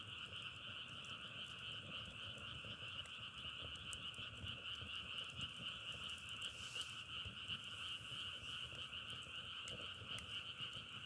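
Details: A frog chorus compared to crackling firewood, heard as an unbroken, even, buzzing trill in two pitched layers from many callers, peppered with brief sharp clicks.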